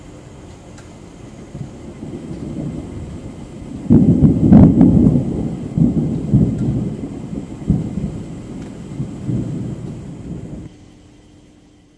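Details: Loud thunder breaks into steady rain, then the rumble slowly fades.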